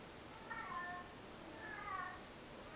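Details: Domestic cat indoors, two soft meows with harmonic bands, a little over a second apart, faint against a quiet room hiss.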